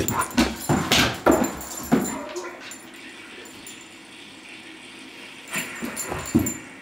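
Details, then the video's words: Playful Great Dane named Dodge seeking attention while his owner watches TV; a quick run of sharp yips and huffs in the first two seconds, then a quiet stretch, then a few softer yips near the end over a constant indoor hum. "Great Dane Playing"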